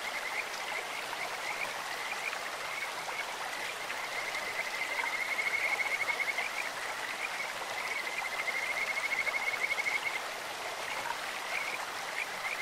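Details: Beside a clear stream, Kajika frogs produce two long high trills of rapid, evenly pitched notes, sounding almost like a bird or insect, set against continuous splashing, rushing water.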